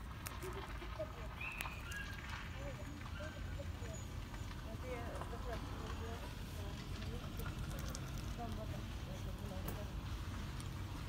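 Domestic cats purring: a steady, deep, rumbling vibration that continues without a break.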